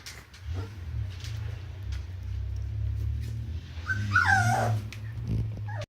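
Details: Border Collie puppies indoors: a loud low rumbling hum runs throughout while a brief high whining whimper with wavering pitch rises near the end, with faint shuffling noises.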